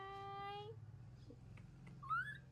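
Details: Newborn baby monkey calling in response to its mother: a steady, harmonic-rich tonal coo lasting under a second, then after a pause a short, higher note sliding upward, with a low background hum indoors.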